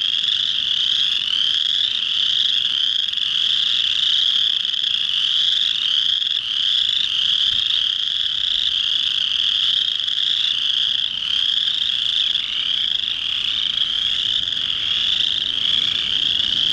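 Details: Male chorus frogs in full spring chorus at a pond in early March, calling to attract females after warm rains; high, grating trills pulse and overlap continuously throughout.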